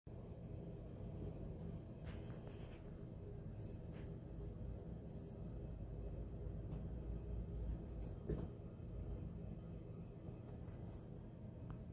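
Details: Steady low rumbling background noise with a few faint knocks and clicks, and no animal voice.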